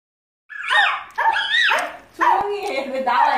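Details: Angry pet puppy protesting: three loud, drawn-out yowling grumbles that rise and fall in pitch, with a short pause before the last long one.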